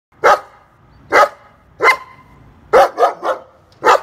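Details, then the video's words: Tied-up dog guarding the house, barking loudly: single sharp barks roughly every second, then a quick burst of three, ending with one more bark. "Собака привязанная лает"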